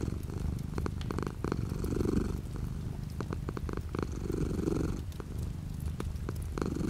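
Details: A purring cat with light rain beyond the window: a rolling low rumble, louder on alternating breaths a few seconds apart, mixed with irregular clicking raindrops.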